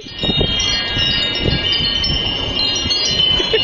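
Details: Wind chimes ring continuously with bright, sustained high tones over soft rustling noise and wind; no animal sound is heard.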